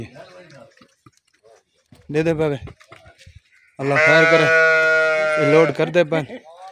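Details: Pregnant Dera Din Panah goat being sold in Pakistan on 8 August 2023 gives one loud, drawn-out, quavering bleat of nearly two seconds, preceded and followed by brief men's speech.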